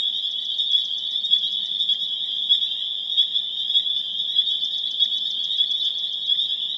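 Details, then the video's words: Dense chorus of spring peepers (Pseudacris crucifer) recorded April 27, 2011 in Harvard, Massachusetts: countless high, piercing peeps merge into a continuous shrill band, with faint trilled pulses from other frogs standing out at intervals. "Spring Peeper Chorus Builds to a Crescendo"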